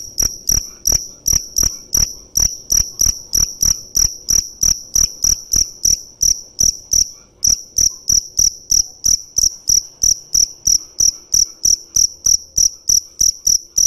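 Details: Dế mèn cricket chirping in a steady, high-pitched series of short pulsed chirps, about three each second, with a brief gap near the middle before the rhythm resumes unchanged.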